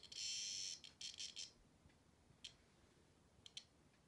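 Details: A cicada held in a dog's mouth gives a harsh, high buzz, then a few broken buzzy bursts and faint clicks, as the owner asks what is in the dog's mouth.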